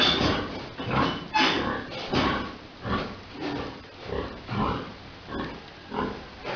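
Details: Pigs on a farm during breeding, a large boar mating a sow: rough, broadband grunts repeated in bursts of under a second, with the occasional louder snort and steady farm background.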